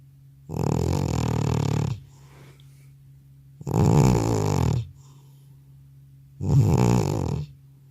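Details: Sleeping elderly cat, worn out after a vet visit, snoring loudly indoors with no separate microphone used: three deep, raspy, rumbling snores lasting about a second each, spaced roughly every three seconds with quiet breaths between.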